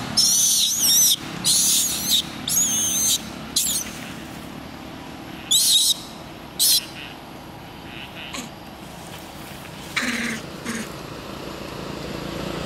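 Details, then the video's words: Baby monkey pleading for its mother's help with piercing, high squealing cries, several loud bursts close together at first, then fewer, shorter and softer calls against a low steady hum. "Little monkey crying asks for help from mother"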